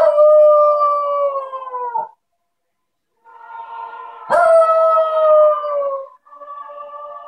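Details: Havanese dog singing along to the carol In the Bleak Midwinter, giving long sustained howls that slide gently downward, two-second notes separated by a pause, the third starting with a sharp attack.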